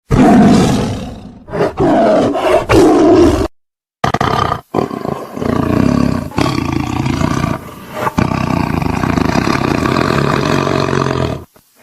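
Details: Tiger (Panthera tigris), roar.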